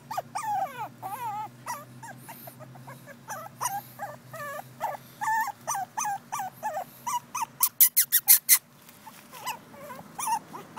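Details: Two female Pekingese puppies whimper and yip in quick, high, wavering squeals that overlap one another.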